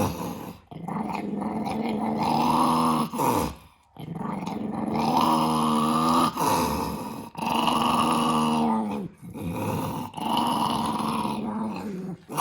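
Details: Indoor pet dog growling in protest at being recorded, long sustained grumbling growls with moaning tones, repeated in several bouts separated by brief breaths over about twelve seconds.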